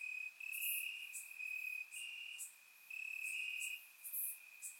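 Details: Crickets chirping in grass on a warm summer night in Bulgaria, recorded with a surround microphone: a steady high trill with louder pulsing stretches, plus separate sharp high ticks from other crickets.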